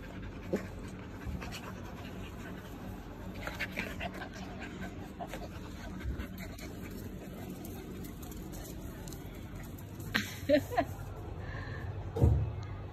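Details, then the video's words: Husky puppies fighting: soft, steady panting and scuffling fill the clip, broken by scattered short noisy bursts and a louder sharp yelp-like burst near the end. "Husky puppies fight"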